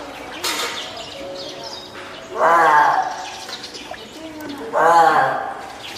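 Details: Hand-reared female spotted seal pup, born 19 April, at Oga Aquarium, Japan, on 9 May 2017, calling loudly, perhaps hungry, wanting to climb out, or calling its keeper: two drawn-out harmonic wailing cries, each about a second long, 2.5 seconds apart.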